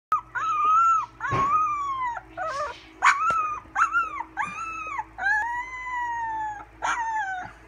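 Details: English Springer Spaniel puppies, 16 days old, learning to howl in June 2016: a series of thin, high, arching whines and short howls, several overlapping, each lasting under a second, with a steady low hum underneath.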